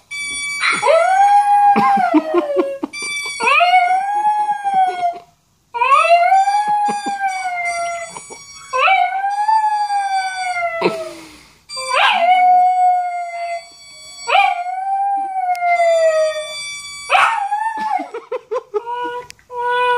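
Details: A Maltese, howling along to a video playing, gives a series of high, quavering howls, each rising then sliding down in pitch.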